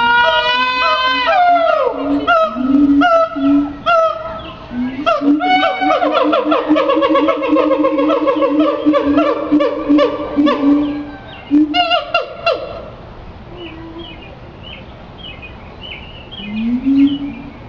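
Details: Siamang putting on a show at the Henry Doorly Zoo: loud, harmonic whooping calls that rise in pitch and repeat rapidly, building into long sustained wails before fading to softer rising hoots near the end.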